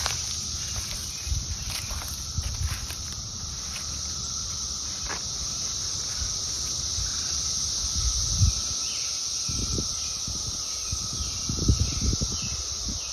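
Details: Cicadas singing in summer 2021, a continuous loud high-pitched droning buzz held steady from start to finish, with faint low thumps and handling knocks beneath it.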